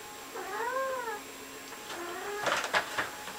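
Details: Domestic male cat indoors, freaking out over a shower curtain: a drawn-out wavering yowl that rises and falls over about a second, then a shorter lower moan, followed by scratchy rustling bursts.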